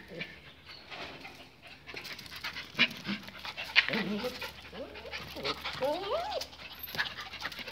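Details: Excited pinschers resisting as their walking leashes are clipped on before an outing: several wavering, bent whimpers cluster near the end, among rustling, clicks and a person's voice.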